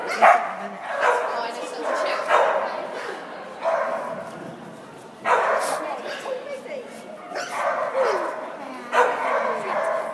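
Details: Dog giving rapid bursts of harmonic barks and yelps every second or two, while people talk nearby.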